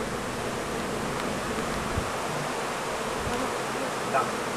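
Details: Summer apiary with honey bee colonies, filmed during beekeeping work: a continuous buzzing hum of many bees, fairly even in loudness, with a soft thump near two seconds and a brief brighter sound just after four seconds.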